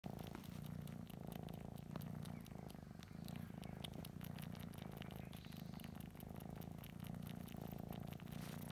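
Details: Domestic cat sucking on a stuffed toy, purring steadily: a continuous low rumbling purr that holds at an even level throughout, with faint soft clicks from the sucking.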